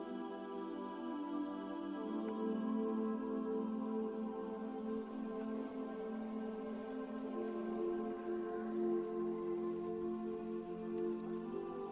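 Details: Soft, sustained ambient music with layered drones and faint dripping tones, with no animal calls.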